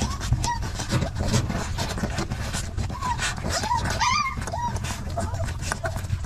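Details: Puppies fighting over milk whimper in short arched squeals, sparse at first then bunching into a louder, harmonically rich cry around the four-second point, all set against a continuous low droning background.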